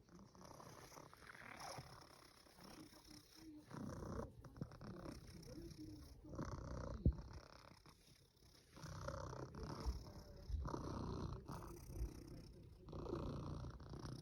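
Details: Russian Blue cat snoring: soft, low rumbling breaths swelling and fading in slow cycles every few seconds, a steady purr-like drone beneath, with faint room noise.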